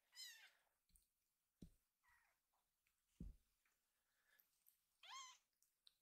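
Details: Rescued kittens grooming and playing indoors, one trying to play while the other grooms it to calm it. A quiet, high wavering meow opens the recording and another closes it, with soft thumps and rustles between.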